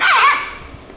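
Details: A Shih Tzu puppy, angry at being recorded, gives a brief, sharp, high-pitched growling yap that drops in pitch.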